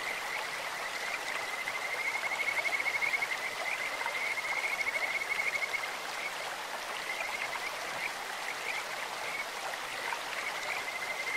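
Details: In a clear-flowing stream a Kajika frog gives a sustained high trill of quick, regular pulses from about two to six seconds, fading into softer notes while the water rushes steadily throughout.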